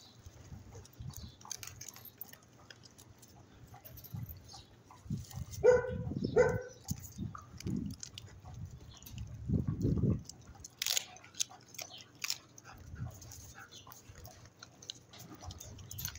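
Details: A female Rottweiler guard dog gives low, rumbling growls with a couple of sharper snarling bursts while eating and guarding her food.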